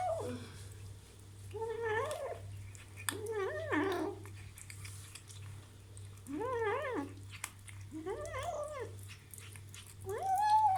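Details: Kitten eating meat for the first time, making a series of short, arched, mewing growls, each about half a second long and repeated every one to two seconds, over a steady low hum indoors.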